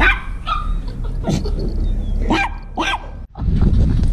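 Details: German Shepherd dog breaking down crying, scared on realizing he is going to the vet: several sharp, harmonic yelping barks with a thin whine between them, set over a steady low rumble.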